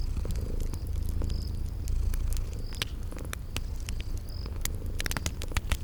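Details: Sleeping kitties purring in a steady low rumble, set in a cozy spring garden ambience beside a crackling fireplace, with sharp fire pops and a few short high cricket chirps over the purr.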